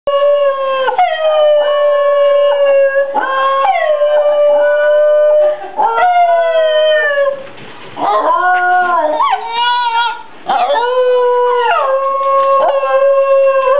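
Two Basenjis howl in a duet, their voices overlapping in sustained, wavering tones. The notes bend and slide between pitches with yodel-like breaks and brief pauses for breath.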